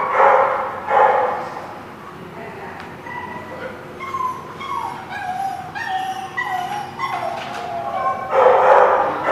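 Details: Dogs at The Barking Lot on 11/4/16: two short barks open the sequence, then a run of high, wavering whines and yips rising and falling, and a final burst of barking closes it, over faint background noise.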